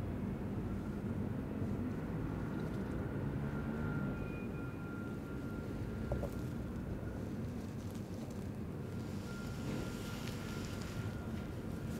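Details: Steady low engine or aircraft drone fills the recording, with a thin high tone running through it and no animal voices.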